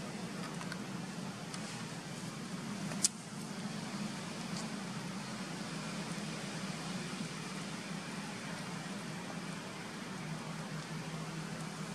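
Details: Steady road traffic and engine rumble fill the recording, with one sharp click near three seconds and no animal voice.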